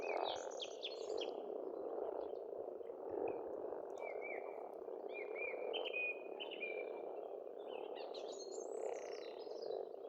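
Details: A steady wall of croaking frogs at a rural Estonian pond in spring, with a chattering bird burst at the start and a string of clear whistled notes later.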